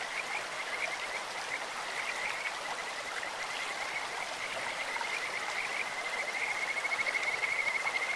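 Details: Stream-dwelling Kajika frogs give a steady high trilling call that grows louder and more sharply pulsed toward the end, over continuous running water.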